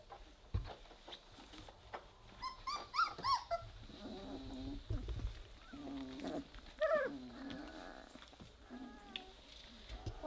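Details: Three-week-old Weimaraner puppies playing together, giving low rumbling growls between high, wavering whimpers and yelps, with squeaky harmonic cries near three seconds and again near seven; scuffling and soft rustling throughout.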